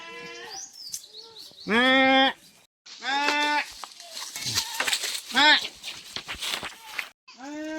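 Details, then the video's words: Several farm goats, kept in a pen, bleating during very hot weather as they are let out to graze; loud harmonic bleats, the longest about half a second, repeated several times, with a person talking between calls. "SUBRANG INIT NG PANAHON UHAW NA UHAW ANG MGA KAMBING"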